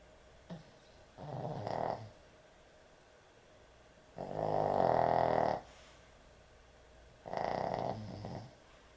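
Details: Heavy snoring from a puppy asleep at bedtime: three rough, buzzing snores, the middle one longest at over a second, coming roughly every three seconds with quiet pauses between.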